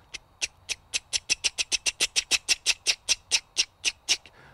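A cricket frog gives a rapid series of sharp, dry clicks, like a toy clicker.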